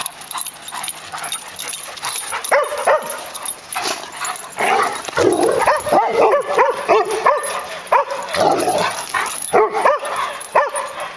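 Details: Playful eight-month-old Black Labrador pup with a Yellow Labrador that growls to tell him off during rough play: irregular bursts of short barks, yips and throaty growls, overlapping and jumbled, in a busy setting.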